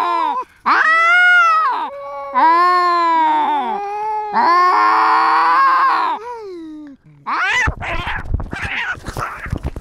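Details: Territorial cat with a GoPro: three long, steady, moaning yowls with wobbling pitch, then a sudden scuffle of harsh, noisy scream and clatter at the end.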